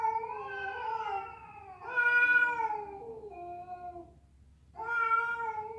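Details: Domestic cat caterwauling, said to be fighting or a female calling a male; drawn-out harmonic meows that waver and slide downward, a pause, then a fresh loud wail rising again near the end.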